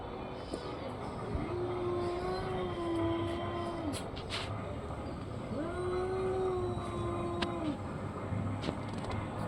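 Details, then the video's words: Orange and white cat with two long, even, arched meows a few seconds apart, each rising, holding level and falling away, against steady low mechanical rumble. "caty funny sounds"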